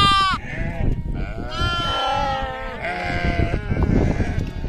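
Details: Farm sheep giving loud, quavering bleats. A sharp cry opens, then longer overlapping bleats from more than one animal follow, set against a dull, continuous low-pitched background noise.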